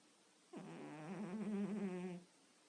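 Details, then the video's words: Cat snoring while asleep on a quiet night: one low, buzzy, wavering tone lasting under two seconds, with a fluttering pulse in its pitch, set against near silence. "snoring cat (quiet night)"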